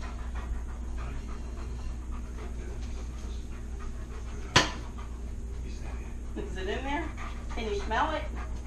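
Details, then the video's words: Tonka, a pet Alaskan Malamute, asks for a share of french toast being eaten at home. A sharp click comes first, then a short run of wavering, rising-and-falling howl-like talking sounds near the end. "Malamutes Unusual Way Of Asking For Food"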